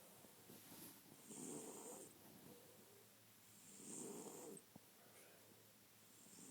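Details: A French Bulldog asleep and snoring indoors: rough, breathy snores in slow, uneven cycles, a loud rasping breath roughly every two to three seconds with quieter pauses between.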